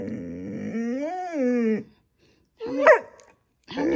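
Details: A pet dog throwing a tantrum indoors, demanding an extra treat: a drawn-out, wavering, moaning howl rising and falling in pitch, then a short, sharp yelp-like complaint and the start of another groan.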